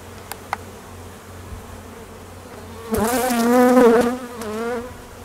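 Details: Western honey bee (Apis mellifera) buzzing past close by at an apiary in peak summer nectar flow around midday: a steady wing hum wavering gently in pitch, with foragers and drones on mating flights active.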